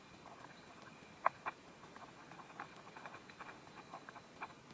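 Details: Praying mantis eating a wasp, filmed in Korea: faint, scattered crunchy clicks and soft ticks of chewing, with a couple of sharper snaps near the middle over a low steady hiss.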